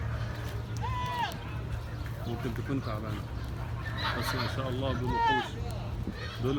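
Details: Hejazi goats heard among people talking: a drawn-out quavering bleat near the start and another, louder one about four seconds later, with men's voices filling the gap and a constant low hum beneath.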